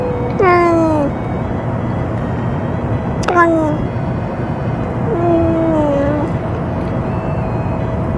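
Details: Ear-tipped stray cat being fed, chattering while eating after a threat from a cat that had finished eating; three descending meows, the last longer and flatter, against steady low urban hum.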